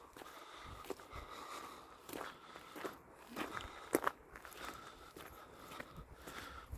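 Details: Quiet footsteps and crunching on the ground outdoors, with scattered soft clicks and no animal call.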